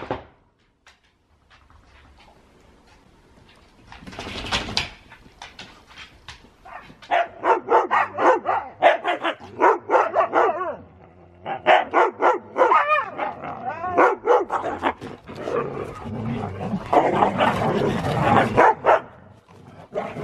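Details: Huskies play-wrestling at home, not fighting: after a quiet start, rapid yips, short barks and growly whines tumble over each other, densest in the second half.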